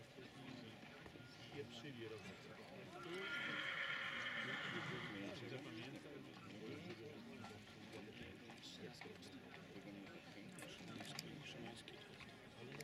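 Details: During a 2019 stallion qualification at Książ, a Silesian stallion whinnies in a loud, quavering neigh of about two seconds, set against steady hoofbeats and a man's voice over the loudspeaker.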